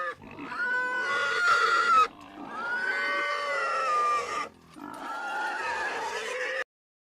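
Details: Pig squealing in three long drawn-out bursts, each a harmonic-rich cry that holds a steady pitch then sags slightly, separated by short gaps.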